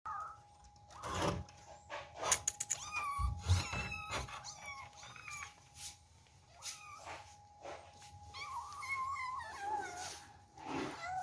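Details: Kittens eating for the first time and scrambling over their food: scattered short meows among sharp clicks and eating noises, with a steady faint hum throughout.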